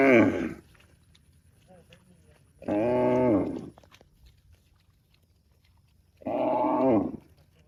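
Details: Tame cows mooing, said to be calling their extended family; three drawn-out, harmonic moos, each under a second long, with quiet pauses of a few seconds between them.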